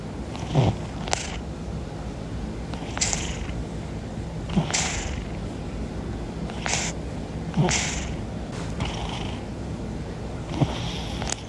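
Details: Sleeping domestic cat, recorded by chance, snoring with soft rasping breaths about every one and a half to two seconds over a steady low rumble; faint clicks and short noises are mixed in.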